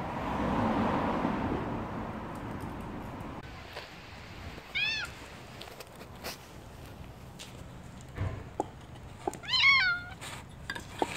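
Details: Street cats eating together outdoors, including a one-eyed kitten and a white cat; two short, high, arched meows, the second louder, amid clicks, bumps and background rumble.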